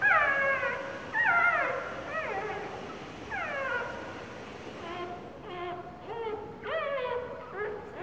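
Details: Pained whimpering of a puppy two days after birth, pinned under its sitting mother. Loud descending whines slide downward, then softer, quicker cries follow, all harmonic and strained.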